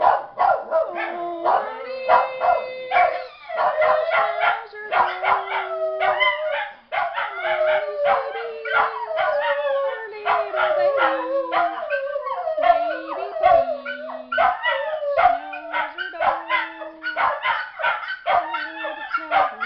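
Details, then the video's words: Two pet Miniature Schnauzers howl along while a woman sings a repeated song line, their drawn-out steady tones sliding between pitches under and between her voice. "Singing Schnauzers"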